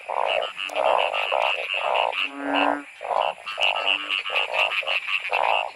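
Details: Narrow-mouthed frogs croaking in heavy rain while being caught in large numbers by torchlight. Loud, evenly pulsed bleats repeat about twice a second, with a longer honking call in the middle.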